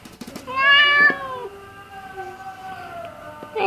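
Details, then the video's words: Orange domestic cat answering back with a drawn-out meow when told to sleep: a loud rising-falling harmonic-rich cry, then a long steady lower wail fading out, with a faint clatter at the start. "KUCING OREN YELLO LUCU, DI SURUH TIDUR JAWAB EMMOOHH.."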